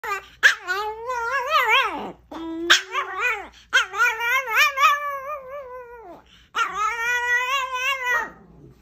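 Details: Chihuahua howling indoors: long, wavering, tonal howls that rise and fall in pitch, each held one to two seconds, broken by brief sharp yips between them, with a final sustained howl fading out.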